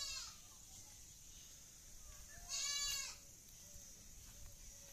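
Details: A Black Bengal goat at a farm in the morning, as the herd waits at the feeding place. One loud, wavering, harmonic bleat sounds midway over steady farmyard hiss, with fainter bleating around it.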